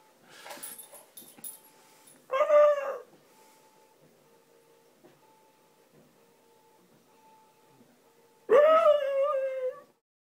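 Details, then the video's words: A female basenji howls while her owner is away, two drawn-out, wavering howls that rise sharply and then hold a yodel-like pitch. "Basenji Howling for Owner"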